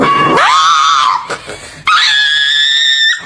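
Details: A female dog gives two drawn-out, scream-like whines, each sliding upward and then holding a steady tone, an odd noise that hardly sounds like a dog.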